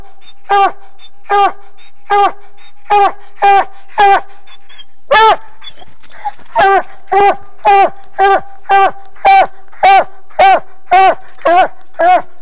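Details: Excited coonhound letting out rapid repeated barks, each bright and ringing, nearly two per second, with one longer, louder bark and a brief lull partway through before the string picks up again.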